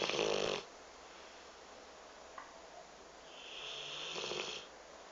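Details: Astro, a pet Rottweiler taking a nap, snores in loud rasping breaths: one harsh snore at the start, a quiet pause, then a second longer hissing snore about three seconds later.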